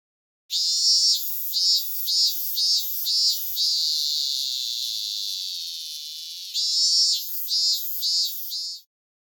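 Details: Robust cicada (minminzemi), a Japanese summer cicada: loud, high, buzzy pulses repeated about twice per second, merging into a long sustained drone that fades, then resuming the pulsed phrases.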